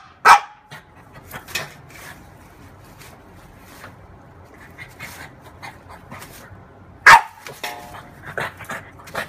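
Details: A female French bulldog playing with her mirror image gives two sharp barks several seconds apart, with soft panting and snuffling in between.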